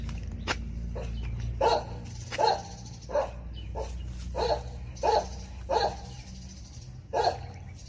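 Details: Korean Jindo facing a venomous snake, giving a run of seven loud, abrupt barks spaced under a second apart over steady low-pitched background noise.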